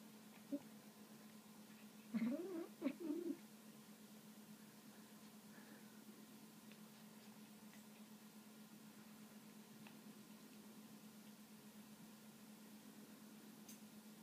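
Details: A kitten named China, one of three kittens in a home, makes her nom noise when given a bit of meat. There is a brief, low, wavering murmur of several quick notes, followed by steady room hum.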